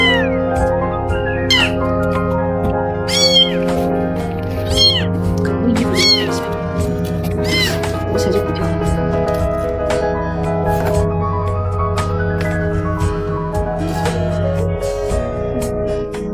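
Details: Tiny stray kitten a few days old, found by a trash can, keeps meowing loudly. Five or six sharp, high meows bend up and down in the first eight seconds, then mostly continuous background music with a voice.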